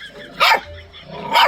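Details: A small Guangxi native hunting dog, a Chinese native breed with a rabbit-like tail and some temper, gives two sharp, high barks about a second apart, each a quick bright burst.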